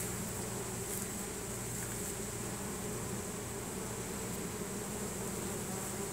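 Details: Swarming honey bees march into their new home, signalling with Nasonov pheromone; an unbroken, even buzz of many wings, deep humming bands underneath and a bright sustained hiss above.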